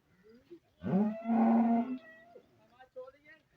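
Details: Sahiwal-Jersey cross cow mooing once, a loud steady low call lasting about a second after a short rising start, with faint talking and quieter sounds around it.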